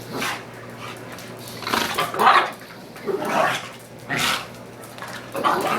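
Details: Two young dogs, a beige pug and pitbull/ridgeback cross and a brown male pug/beagle mix, five months old, play fighting indoors; short rough growly bursts flare roughly every one to two seconds between quieter pauses.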